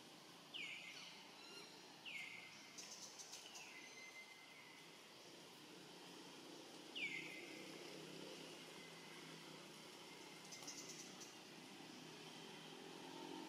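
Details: Lone, hungry young monkey calling out for its family: clear whistled calls that drop sharply then hold a long steady tone, several in a loose series with pauses, over steady rural background noise.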